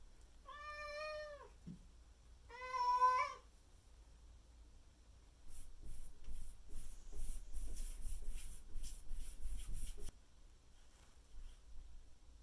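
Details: Morning meowing of Miku, a Maine Coon house cat pressing her owner for breakfast, May 2021: two drawn-out, strongly harmonic meows, the second louder, followed by several seconds of rustling and thumping movement sounds.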